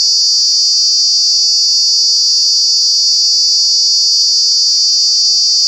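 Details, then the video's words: Cicada at Kanha National Park in summer, a relentless, even, high shrill drone throughout, unchanging in pitch and loudness, with no other sounds. "Cicada, Cicadas are true bug with very loud sounds"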